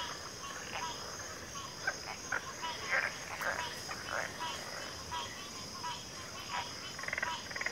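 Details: Frog chorus in backwater: scattered short croaks and clicks at mid pitch, irregularly spaced, over a steady high-pitched drone throughout.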